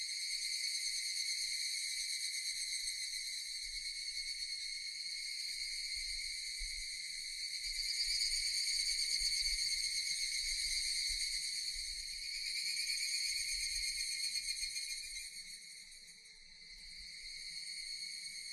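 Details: Japanese cicadas in a dense chorus: a continuous, shrill, layered buzzing drone that swells near the middle, dips briefly toward the end, then recovers, over a faint low rumble.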